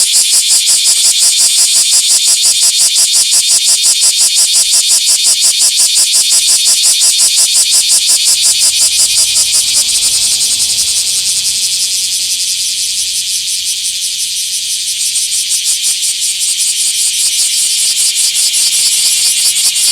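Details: Bear cicada in a small park, filmed 24 July 2026, giving a loud pulsing rattle with steady, evenly spaced beats near 167 per minute; the chirping softens briefly midway, then resumes.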